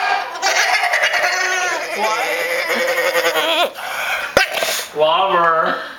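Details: Wavering, high whines from Stryker, a pet dog pining for Jayda, come one after another with bending pitch; a human voice speaks to him between the cries.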